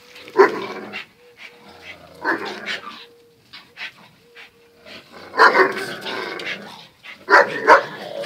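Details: Zion and Tyson, two pet dogs, locked in their everyday fierce scuffle: loud bursts of barking and growling, brief whimpers and a steady tone in the pauses.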